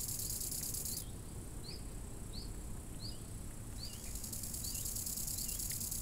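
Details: Summer lakeside crickets give a shrill, unbroken buzzing trill that stops after a second and starts again near the fourth second, with a bird's brief upward-sweeping tweets repeated steadily throughout and soft wind noise underneath.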